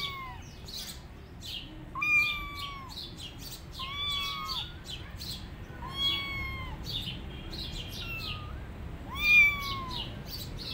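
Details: Rescued tabby kittens wander on their own without their mother, giving a run of about six plaintive, slightly falling meows roughly every one to two seconds, with sharp high chirps scattered throughout.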